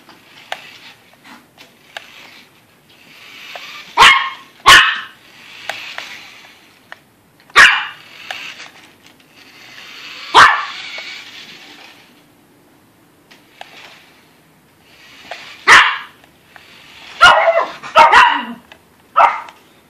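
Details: Yorkshire Terrier barking at a Yoshi RC car it doesn't like; bursts of sharp, high barks, some doubled or clustered, between stretches of buzzing RC motor noise.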